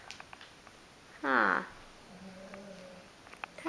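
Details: Female domestic cat indoors, tired after playing fetch with a soft toy, gives one loud, harmonic-rich meow that rises then falls, followed by a quieter, steady low drawn-out tone and soft clicks.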